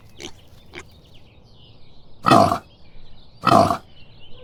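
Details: Farm pig giving two short, harsh, broadband grunts about a second apart, each low and rough, with faint high chirping in the background between them.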